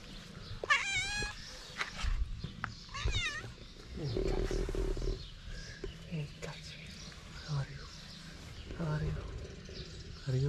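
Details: A tabby cat lounging alone on a street in Morocco, apparently a stray, gives a few short, wavering meows, with people talking and street noise around.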